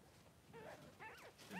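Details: Three-day-old Blenheim Cavalier King Charles Spaniel puppies, two newborn boys in a puppy pen with their mother Pom-Pom, born a little early; short squeaky whimpers in three bursts, rising and falling in pitch, over a quiet indoor background.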